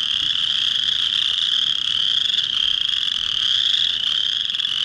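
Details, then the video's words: Chorus frog males calling at a spring breeding pond in early March to attract females; many voices merge into a steady, high, rasping trill that never breaks. "Chorus Frogs calling"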